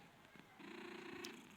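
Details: Nine-month-old male cat with eyes of two different colours, offered for sale at a cat market in Khulna. It gives one steady, low, drawn-out tone lasting under a second, faint against indoor room noise.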